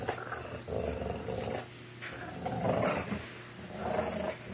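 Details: Two dogs fighting, a four-year-old American bulldog and a two-month-old Boston terrier puppy: harsh, roaring growls rising and falling in uneven bursts about once a second, with scuffling noise between them.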